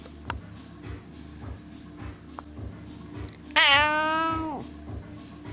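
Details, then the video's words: Domestic cat at a window letting out a yawning cry: a sudden loud, rich, nasal meow of about one second that holds level and then drops away at the end, after soft taps and a low, regular background beat. "Cat Yawning"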